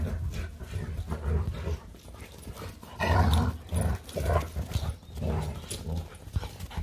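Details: Leonberger play fighting with a Labrador, the dogs Montana and Lola, in a long nonstop play session; deep rough growling bursts and scuffling come in uneven surges, loudest around three to four seconds.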